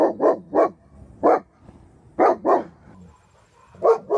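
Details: Reactive German Shepherd Dog, reactive to both dogs and people, barking in short bursts: three quick barks, a lone bark, then a paired volley and two more barks after a pause.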